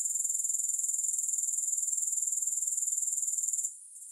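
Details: Grasshoppers trilling steadily in a long relaxation recording, a high, dry pulsing buzz repeated about four times per second, breaking off briefly near the end before resuming; no music.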